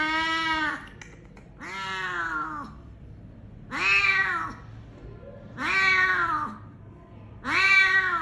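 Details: Rescued cat struck by a vehicle, jaw broken, sheltering in a drain before treatment at Klinik Amore 5 BSD. Five plaintive meows in a regular series, each rising briefly then sliding down, separated by quiet pauses.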